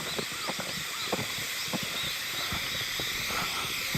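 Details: Unseen Hime-harusemi cicadas singing in Yamaguchi Prefecture, Japan, on 19 July 2022 make a continuous high buzzing wash, punctuated by brief ticking knocks and a few faint whistled notes.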